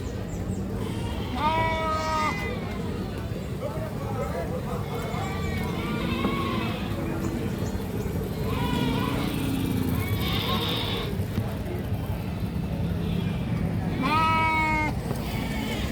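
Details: Screaming goat giving several harsh, harmonic, strained cries spaced through the recording, the loudest near the start and end, with people talking and a low vehicle drone underneath.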